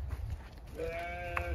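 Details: Pregnant Zwartbles ewes on a regenerative farm in County Kilkenny, Ireland, being let out for fresh hay; a sustained, harmonic, slightly wavering bleat in the second half over a low rumbling background.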